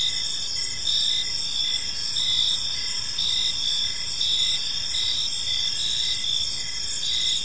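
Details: A chorus of crickets in a peaceful evening park, with piercing continuous high trills and an evenly pulsed lower chirp recurring about every second, over faint distant background noise.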